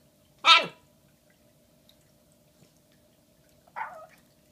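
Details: Shiba Inu puppy Bowie, a female one day short of five months old, indoors with a giant Valentine's Day bone on February 14, 2016; a loud, sharp yip, then a softer, shorter one about three seconds later in a quiet room.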